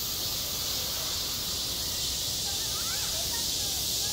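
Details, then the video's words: Cicadas singing in high summer on a school playground: a dense, unbroken, high-pitched hiss-like drone holds steady throughout, with faint brief chirps underneath. "한 여름 운동장에서 매미가 울고 있다 - 여름의 소리, 학교 종소리, 매미 울음소리"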